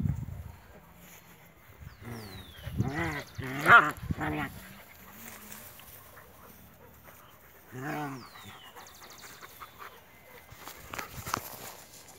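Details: 54-day-old Alaskan Malamute puppies give a short run of harmonic whining yelps, then one more after a pause.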